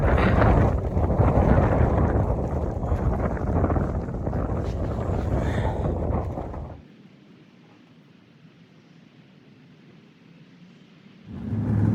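Roaring wind buffets the microphone, dropping to a low hush before gusting again, with no animal voices.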